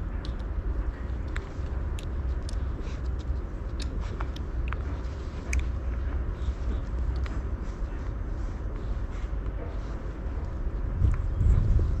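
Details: A steady low rumble of traffic with scattered faint clicks and knocks fills the recording, and no animal voice stands out.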